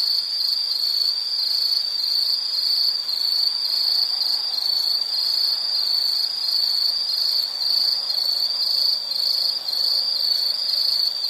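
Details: Nature soundscape of insects, an unbroken high-pitched chirring band with soft regular pulsing, overtones above and a faint low murmur of background noise.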